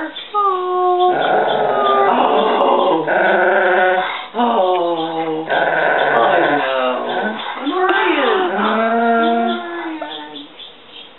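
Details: Clark, a cow dog, lowing to welcome his owner home: long wavering moaning howls with bending, sliding tones, sustained almost without break, with a person's excited voice over it.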